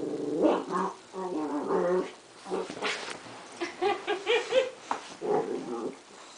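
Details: Playful growling from a West Highland White Terrier puppy, Duke, 3.5 months old, tussling with tape indoors; continuous throaty, rasping growls broken into pulses, rising into whiny squeals in the second half.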